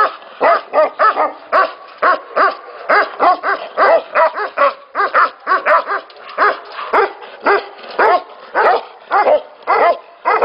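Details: Tibetan Mastiffs at a breeding facility keep up steady barking, loud ringing barks close to two per second from several dogs at once, nothing else audible.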